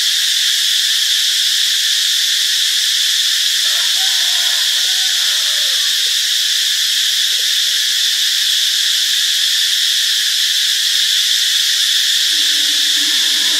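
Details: Constant high-pitched cicada drone in Ubon Ratchathani, Thailand, Friday, March 26, steady throughout, with faint lower warbling calls from another animal around the middle and again near the end.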